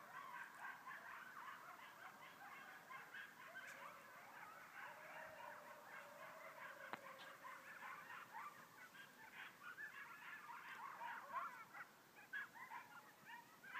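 Coyotes at night, giving a fast jumble of high yips with a drawn-out wavering howl.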